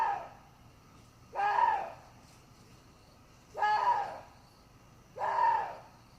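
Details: Water deer giving three hoarse, harmonic-rich cries, each arching up then falling and lasting under a second, spaced about two seconds apart over a quiet, faintly hissing background.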